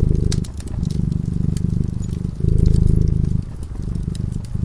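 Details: Sleeping cat by a cozy fireside, purring continuously: a deep, pulsing rumble that swells and fades with each breath, overlaid by scattered snapping crackles from the burning fire.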